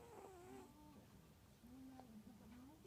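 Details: A sleeping cat snoring softly, a steady low droning tone that holds, briefly fades, then returns with slight wavering pitch, over faint indoor background hiss.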